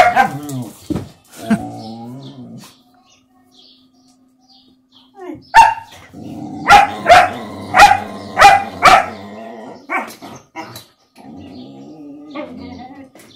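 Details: German Shepherd puppy at play with a mixed-breed dog: scattered barks and whines early, a quiet gap, then a rapid run of about six loud, sharp barks, with a person's voice and softer growly vocal sounds between.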